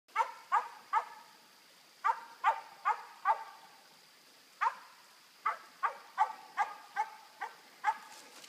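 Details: A dog named Bigun barking outdoors while treeing a squirrel; loud, sharp barks come in quick clusters of two or three, with brief pauses between bursts and a steady faint hum behind.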